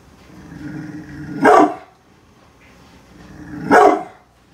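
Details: Brindle pit bull Bullet defends the home from construction workers nearby: a low, steady growl swells into a sharp bark, falls back to growling, then ends in a second bark about two seconds later.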